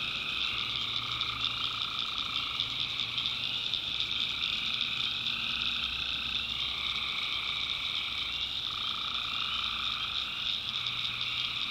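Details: Nighttime swamp chorus of tree frogs in North Carolina backwoods, many overlapping callers forming a continuous high-pitched drone; a middle trilling layer fades in and out in stretches of a few seconds while the upper shimmer stays constant.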